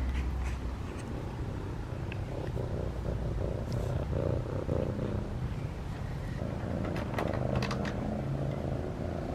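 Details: A domestic cat wandered into a yard during Christmas light hanging and purrs steadily while being petted outdoors; a low, continuous rumbling purr runs throughout, with faint rustling and handling noises on top.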